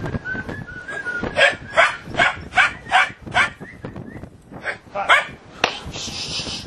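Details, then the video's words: Puppies at play, giving a run of short, harmonic yaps and barks roughly every third of a second, with thin whistled whimpers in between and scuffling in the background. "Puppies At Play"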